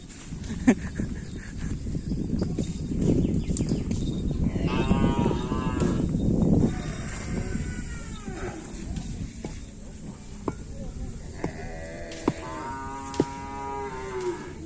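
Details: Cattle at kerapan sapi bull racing on the Asemanis field: rumbling low crowd noise at first, then two bouts of wavering harmonic moos, the later ones rising and falling, with scattered clicks and distant voices.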